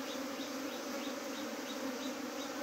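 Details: Honeybee colony whose swarm tried to leave the hive, the queen kept inside by a queen gate fitted the day before; dense continuous droning hum with faint pulsing overtones.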